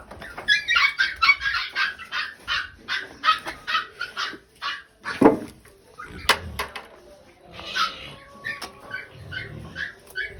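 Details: Pigs being fed squeal in a dense run of bright, high cries for several seconds. A sudden bang breaks the run, and fewer squeals follow among clanks and handling noises.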